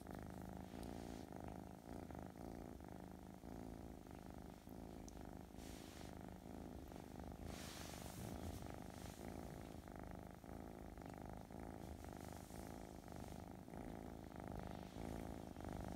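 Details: Affectionate, gentle Russian Blue kitten Ruzara Rufina from a cattery purring continuously: a deep, even, buzzing rumble with soft breath-paced pulses, and a brief rustle of movement midway.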